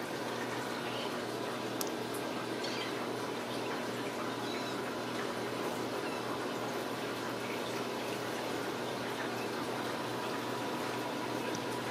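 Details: Steady rush of running water indoors, like a tap filling, with faint background murmur and a couple of brief clicks; no animal voices.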